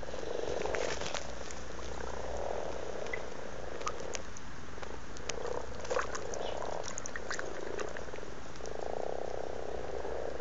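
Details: Amorous frogs in a garden pond in Blarney, County Cork, Ireland, filmed in February 2012: low, purring croaks rolling in overlapping bursts of a second or two, nearly continuous, with faint splashes and clicks from the water.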